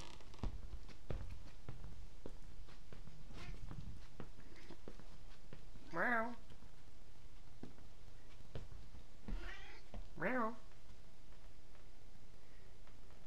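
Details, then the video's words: Visiting stray cat that comes by for food and affection, meowing back at a person as if answering. One drawn-out wavering meow, then two more close together a few seconds later, over low thumps and handling noise. "Cat Talks Back"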